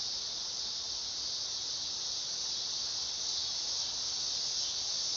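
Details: Continuous shrill buzz of a dog-day cicada, an unbroken high whine with a slight swell in loudness toward the end; no other animals or voices stand out.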